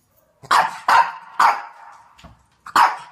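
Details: Shih Tzu barking in a compilation: four sharp, bright barks in an uneven rhythm, each with a short fading tail, plus one fainter bark between them, in an otherwise quiet room.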